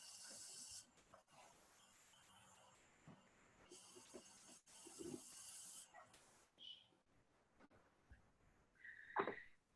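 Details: Harmless, venomless bull snake making its defensive noise, which mimics a rattlesnake to pass as the more dangerous species. Three airy broadband hissing bursts of about two seconds each, separated by short gaps, then a brief louder sound near the end.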